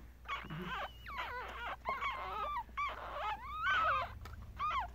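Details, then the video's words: Day-old Yorkshire Terrier newborns, three boys and two girls, captured on a Galaxy S7; thin looping squeaks and whines bending up and down, several pups crying together, over a steady low hum. "Baby Yorkie Puppies Was Just Born.. 아기 요키 강아지가 태어났어요.."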